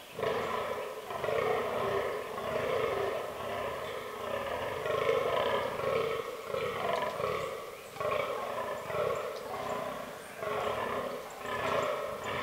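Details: Fallow deer bucks during the autumn rut in a forest, in a herd that includes albino and melanistic animals. Deep, throaty groans repeat roughly twice a second in steady, rasping bursts, with brief pauses between runs.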